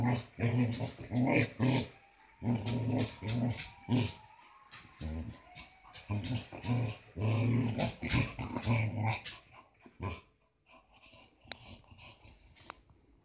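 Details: Playful growling from Branco, a Samoyed aged one and a half: dense runs of low, raspy growl pulses for about ten seconds, briefly joined by a thin whine, then fading to quiet breathing and small clicks.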